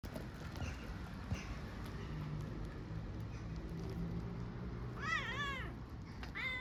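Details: Stray backyard kitten in Istanbul purring while asking for love and food: a steady low rumble runs under street noise, then a short wavering meow near the end and another brief call at the close.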